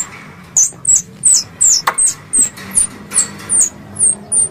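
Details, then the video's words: A squirrel lure sound for hunting, with a slower series of piercing, high chirps that each dip in pitch, spaced under a second apart over a faint low hum. "Suara Tupai 3 In One Terbaru Sebagai Penyempurna Suara Pancingan Tupai"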